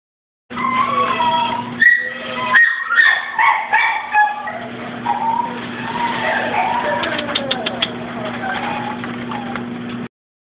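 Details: Scooby, a male brindle Shih Tzu at K.A.P.S. in Korea, gives a long run of high wavering whines and yelps that slide up and down, over a steady low mechanical hum, with a few sharp clicks.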